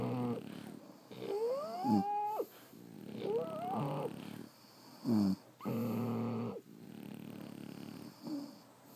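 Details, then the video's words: Sleeping French Bulldogs snore irregularly, mixing gravelly rumbles with rising whistled squeaks on some breaths, about one breath every two seconds, with a faint steady hum behind. "Snoring French Bulldogs"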